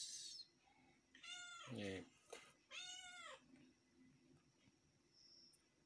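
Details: Domestic cat giving two clear harmonic meows, the first dipping low then rising, the second arched and drawn out, separated by a sharp click, with quiet room noise and a faint high tone near the end.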